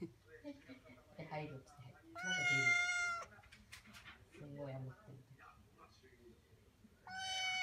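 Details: Sister cat indoors, separated from her brother by glass, keeps meowing to get to him. A long whining meow, then murmured human voices, then a second meow starting near the end.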